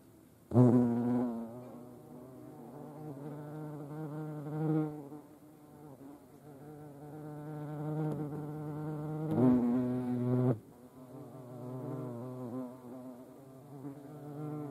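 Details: European hornets at a feeding place shared with ants, Dohr, Eifel, 28 July 2022: loud droning wing buzz with rich overtones, surging sharply as insects fly close at the start and again around the ninth to tenth second.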